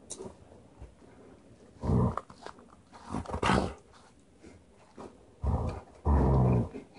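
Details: Kai, an Alaskan Malamute nearly one year old, blowing his coat for the first time, gives low rumbling grumbles and growls in short bursts, the longest near the end, amid rustling and handling noise indoors.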